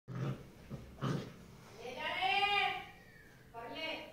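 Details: Tibetan Mastiff puppy giving a drawn-out, arching whine rich in overtones, then a shorter second whine after a brief pause; a person speaks just before, in an indoor setting.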